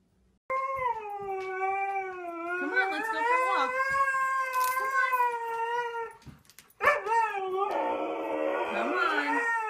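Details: Siberian Husky 'talking' with a long, steady tonal howl with rich harmonics that wavers slightly in pitch for about five seconds, then after a brief gap a rougher, noisier vocal outburst follows.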